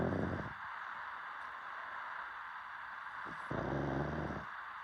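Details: A dog snores in its sleep. A short rasping snore opens, then a quiet pause, then a second throaty, low buzzing snore about a second long.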